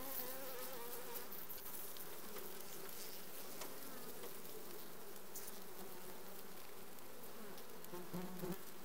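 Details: Many honey bees in a requeened colony in June 2020 make a thick, unbroken droning buzz, low and even throughout, with faint higher hiss above.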